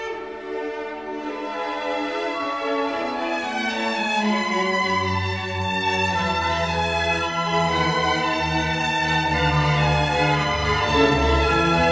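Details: Orchestral string music, violins and cellos swelling over a deep sustained low note, with no animal voices audible.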